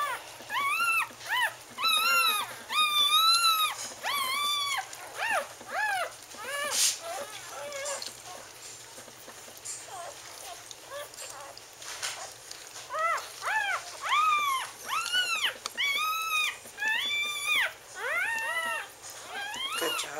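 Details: Bailey's Wheaten Terrier babies, a litter dated October 18, 2011, crying in bursts of thin, bowed squeals; a busy opening, a quieter stretch in the middle, then renewed rapid yelping.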